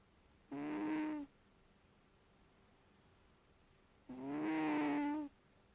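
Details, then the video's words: Cat snoring: two drawn-out, nasal, tonal breaths with rich overtones, one short and one longer, about three and a half seconds apart, with quiet between them. "Snoring Cat"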